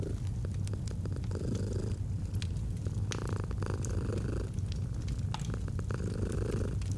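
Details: Domestic cat giving a steady, low rumbling purr with gentle breathing swells, overlaid by scattered snaps and crackles of a burning fire.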